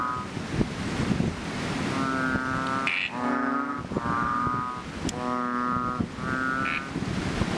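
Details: Chubby frog, also called Ox Frog or Bubble Frog, calling from a fishpond just after rain. Four strong, cow-like droning notes sound about once a second after a quieter start.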